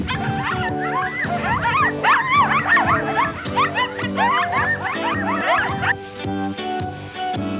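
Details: Young coyote pups at play in springtime mountains, in a family of five or six, give a run of high, quavering yips and short wavering howls that rise and fall quickly, over background music.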